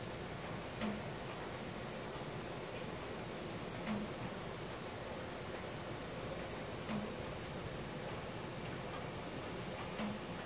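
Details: Crickets calling at night, taken with a Samsung Galaxy S4: a clear, even, high trill of rapid pulses continues for the whole stretch, with a few faint clicks and little low-pitched noise.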